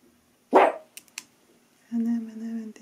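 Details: A Maltese dog indoors during nail trimming, one of two dogs in the home, lets out a single sharp bark, then a couple of faint clicks and a steady low droning tone near the end.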